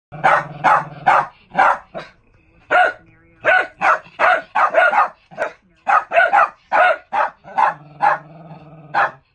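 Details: Two Lakeland Terriers in a mobile kennel in a barking match. Sharp barks come in quick irregular bursts, about two per second, with short pauses. A steady low engine-like hum runs underneath.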